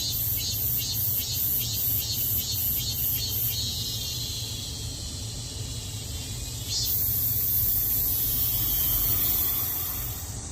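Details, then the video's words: Daegu cicada heard from home: quick regular buzzy pulses at first, then merging into an unbroken high shrill drone, with low traffic noise throughout. "매미 소리"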